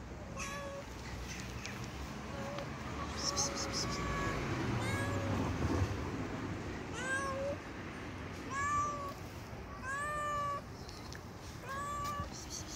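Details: Timid stray street cat being hand-fed, meowing repeatedly: short rising-falling mews spaced a second or two apart, some higher and thinner, over steady outdoor background noise.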